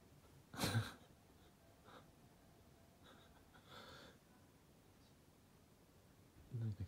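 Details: Golden Retriever Lulu asleep indoors, dreaming of running: a sharp, breathy snort bursts out near the start, followed by quiet breathing and a soft human voice murmuring, then a second short snort at the end.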